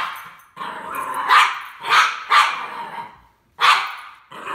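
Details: Norwich Terrier facing C-3PO from Star Wars: a run of loud, harsh barks and yelps in quick bursts with short gaps between them.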